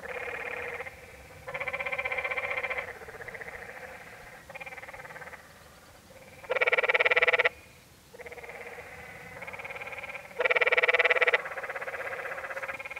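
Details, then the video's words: Canyon tree frog chorus on the Many Pools Trail in Zion National Park, Utah, with buzzy, rapidly pulsed trills from several frogs overlapping almost without pause; two louder, closer calls near the middle and end. "Sounds of The Canyon Tree Frog"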